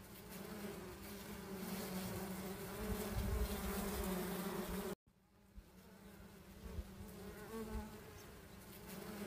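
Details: Swarm of wild honey bees at a honey-hunting site: a continuous low buzzing drone with layered overtones. It swells slightly, then stops abruptly after five seconds and resumes more quietly.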